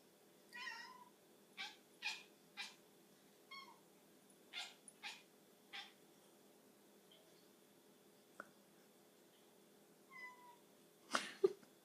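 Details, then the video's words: Pet cat making weird noises over a tiny bug: a quiet run of short, clipped chirps and chattering bursts, irregularly spaced, with a louder rougher burst near the end in a quiet indoor room. "Funny cat noises"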